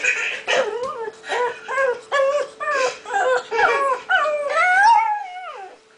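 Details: Five-month-old pet pug barking at a laughing baby playing on screen: a run of about eight yelping, whiny barks roughly every 0.7 seconds, ending in a longer rising then falling howl.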